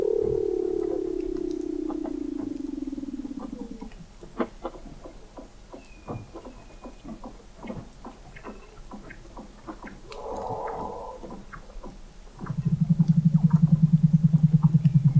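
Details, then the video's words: Weddell seals under sea ice at McMurdo Sound, Antarctica, recorded November 2017 at 21 m depth: a low descending moan, scattered clicks, a brief buzzy burst, then a loud steady low pulsed drone. "Song of the Antarctic Weddell Seal"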